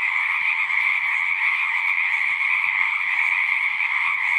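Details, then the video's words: A thick, constant frog chorus, its overlapping trilled calls fused into a steady high and middle hum, with faint low flickers of background noise underneath. "One hour of singing frogs."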